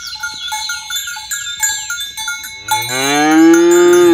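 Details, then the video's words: Tame cows herded in the morning along a village road toward their pen: clanking cowbells ring for a few seconds, then one long, loud moo swells in and holds to the end. "Suara Sapi Moo"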